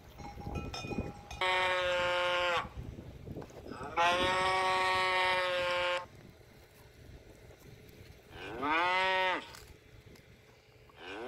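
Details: Cow giving repeated moos: two long, level, droning calls back to back, then after a quieter stretch a shorter moo that rises and falls, with some clattering noises around them.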